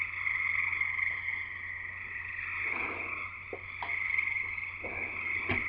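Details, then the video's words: On a friend's property in Escanaba, in Michigan's Upper Peninsula, frogs chorus in a dense, steady high trilling drone, many voices blending into one shimmering, jungle-like wall of sound. "Frogs Singing in the U.P."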